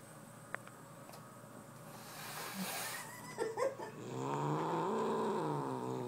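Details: Angry pet cat, possessive over a fuzzy sparkly sweater, gives a long low harmonic growl rising into a sustained moan in the last two seconds, after a few faint knocks and rustles indoors.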